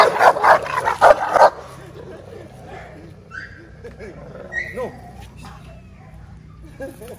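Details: Dogs, a Rottweiler and a Pitbull set against each other: three loud, harsh, broadband barks within the first second and a half, then a quieter stretch of faint voices and low background noise.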